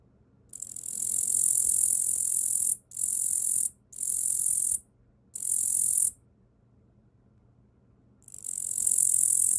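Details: A katydid (Tettigonia orientalis), caught as a small nymph in early spring and raised in captivity, sings on a person's arm in dry, high, buzzing bursts with short gaps between them.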